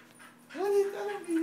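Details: Aby, a Siberian Husky, greets her owner after several days apart with a short rising whine that settles into a steady tone and ends in a second brief whimper.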